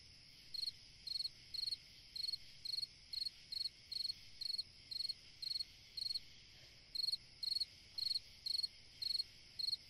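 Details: On a summer night a cricket chirps continuously, each chirp a short high pulsed burst, roughly two per second, with one brief gap near the end, above a faint even insect hum.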